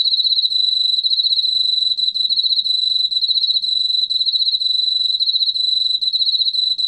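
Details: A continuous high-pitched trill from a Korean field cricket, recorded by the National Institute of Biological Resources in 2020. Fast, evenly pulsed chirps run without a break for the whole stretch, over a faint low background.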